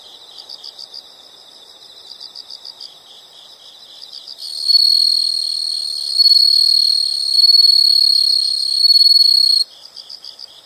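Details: Nature sound recording of insects: soft, regular high chirp bursts, then a loud continuous pulsing trill enters for about five seconds, swelling in waves, before the quieter chirping returns.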